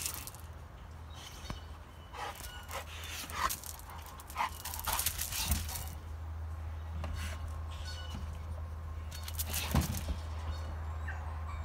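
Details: Olde English Bulldogge male named Ramy, 104 pounds, kept with a 75-pound female in heat but not yet receptive; bursts of breathy panting and snuffling with faint whimpers, over a steady low hum.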